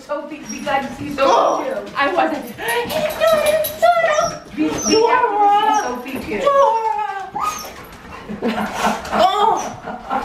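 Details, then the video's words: Pet dogs, back in the US after three years living in Thailand, greet a family member again with excitement: high wavering whimpers and short yips repeat throughout, overlapping with people talking and laughing in a small indoor room. "Dog Reunion After 3 Years - Super Happy Pups"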